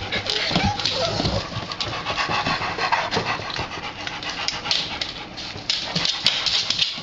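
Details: A new puppy plays with the household's other dogs. Rapid, rough, breathy panting runs on without a break, mixed with scuffling and the odd sharp knock or tap.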